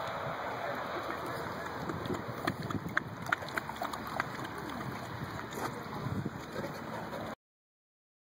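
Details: Continuous rushing, water-like noise with scattered clicks and faint voices, ending in silence.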